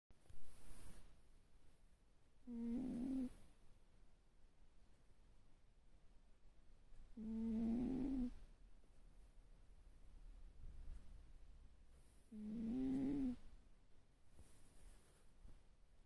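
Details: A sleeping cat snoring: three slow, nasal, tonal snores with faint overtones, each lasting under a second and coming about every five seconds, with quiet breathing between them in a small indoor room.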